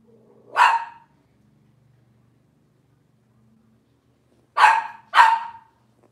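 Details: Cavalier King Charles Spaniel puppies, Robin's litter, indoors: one bright yap, a four-second pause, then two quick yaps in close succession, with a quiet background hum.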